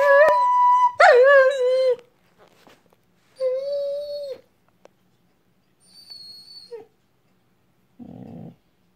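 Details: A 4-year-old Borador howls along as a recorder is played at home: two long, quavering howls with bright overtones, the first wobbling upward, then quieter high tones, a faint squeak and a brief muffled noise near the end.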